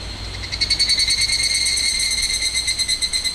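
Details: Close, loud higurashi cicada near the Minamisoma evacuation zone boundary, Fukushima, August 2011; a ringing tonal call rapidly pulsed about ten times a second, over a faint low hum.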